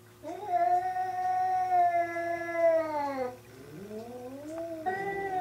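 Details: Hokuro faces off against a black-and-white cat in a third fight between the two domestic cats: a sustained, steady wailing howl lasting about three seconds, dipping at its end, then a rising moan and another held yowl.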